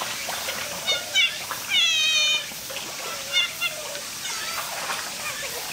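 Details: Oriental short-clawed otter at Chiba Zoological Park giving high, thin squeaks and wavering chirps in short bursts, with one longer trill-like squeal, over a steady hiss like running water.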